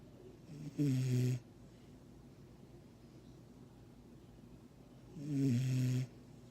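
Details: A sleeping six-month-old Vizsla puppy snoring: two long, low rumbling snores about four seconds apart, each lasting roughly half a second to a second, with quiet breathing between.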